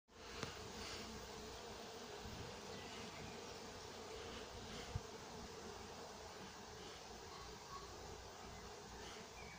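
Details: Honey bees working at an apiary in Nowa Aleksandria during summer 2021: a dense, unbroken droning hum from many bees, steady throughout, with a couple of sharp knocks near the start and middle.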